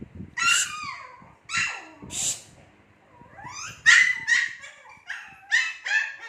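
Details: Shih Tzu puppies about two months old giving loud, sharp yips and high whimpers in short bursts, several overlapping, with brief quiet gaps between outbursts.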